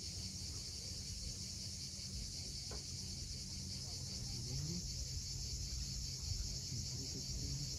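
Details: Sunset on the Crimean coast at Cape Fiolent, with cicadas giving a constant shrill, sizzling buzz throughout, a brief faint slide near the middle, and deep surging wave noise underneath.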